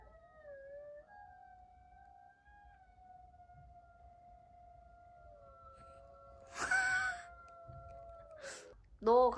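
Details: Pet Maltese dog howling indoors, described as answering its owner: long steady tonal wail held for about eight seconds with a slight dip and rise, a brief human voice cutting in near the end.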